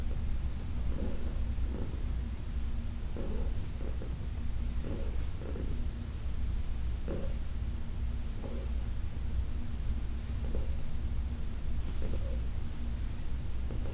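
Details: Purring of Heidi, an elderly female cat in her adoptive home, while being massaged in August 2021. A continuous low rumble runs throughout, with frequent brief rubbing and tapping noises from the hands about once a second.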